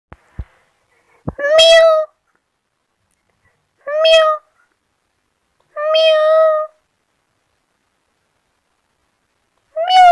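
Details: Kittens playing in grass meowing: four clear, high, tonal meows about two seconds apart, each rising slightly then falling, with a few faint clicks before the first and otherwise silent gaps.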